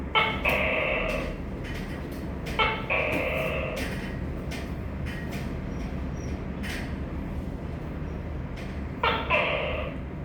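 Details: Tokay gecko repeating its two-syllable call three times: a brief abrupt note, then a sustained buzzy tone. Scattered clicks and knocks sound between calls, with a low rumble throughout.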